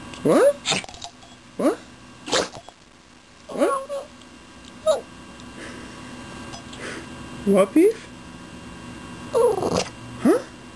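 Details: Male Boston terrier whining in his "talking" way to ask for things, sneezing and yawning as he tries; brief squeaky whines and sneezes arrive in separate bursts every second or two, with quiet gaps between.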